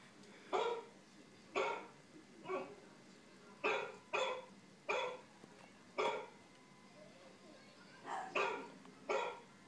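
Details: Wheaten terrier reacting to a dog on TV with a steady run of eleven short, rough barks, about one every second, over a background hum.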